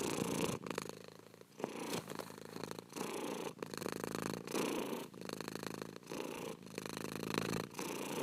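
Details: Cat purr, continuous low vibrating rumble broken into breath cycles roughly every second, the texture rough and buzzy throughout, no other sounds.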